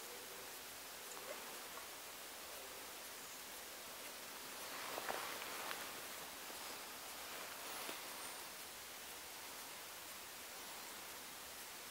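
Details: Quiet outdoor hiss in the Sandomierz Forest during the deer rut, with faint rustling and a few soft ticks and no clear animal call.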